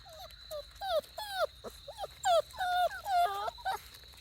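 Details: Australian Shepherd x Border Collie puppies, 5.5 weeks old, give high whining whimpers and yips, pitched and bending, in a rapid irregular series of about a dozen cries, with a woman talking to them nearby.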